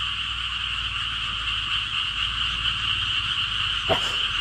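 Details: A dense, unbroken frog chorus of rapid, high-pitched trilling pulses frightens a timid pet golden retriever.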